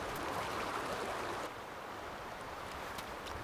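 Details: Rushing water and wind give a steady broadband roar, softening slightly halfway through, with no animal voice.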